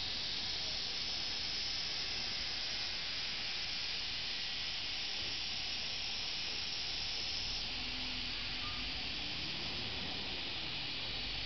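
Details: Cicadas in summer at Maruyama Inari Shrine, part of Tsurugaoka Hachiman Shrine in Kamakura, Kanagawa Prefecture, Japan, recorded 31 July 2007: a dense, unbroken hissing drone fills the upper range throughout, with faint low rumble beneath.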